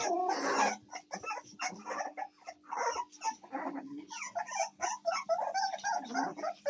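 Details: American Staffordshire Terrier puppies, recorded 7 May 2024, squeak and whimper in rapid short bursts, several voices overlapping, over a faint steady hum.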